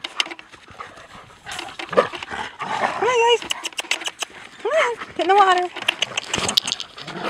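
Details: Two German Shepherds playing, in New England: rough growly grumbles and short whining, arching yelps that rise and fall, mixed with scuffling and panting, bursts coming in quick irregular bouts.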